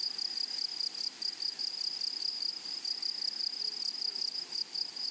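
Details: Meadow grasshoppers singing among flowers: a shrill, steady, high-pitched ringing trill, nearly continuous with brief dips in loudness, a fainter higher overtone riding above, over a quiet background.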